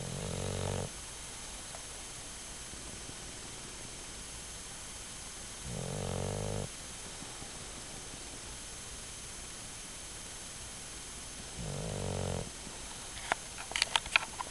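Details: A sleeping bulldog snoring: three loud rasping snores roughly every six seconds over steady background hiss, with faint clicks at the end.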